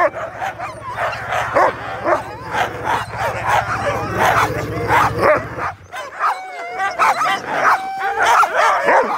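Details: A pack of sled huskies at a dog sledding tour in Fairbanks, Alaska, barks and yips together in a dense, excited chorus.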